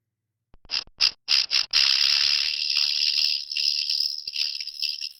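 A rattlesnake gives a few quick, separate shakes, then breaks into a steady, high, dry buzzing rattle that carries on for several seconds.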